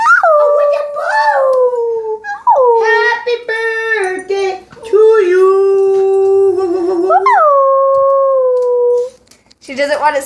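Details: Dog howling along as a grandmother and grandchild sing and make noises to prompt it: repeated long, drawn-out howls that swoop up and then slowly fall, overlapping with human singing voices indoors.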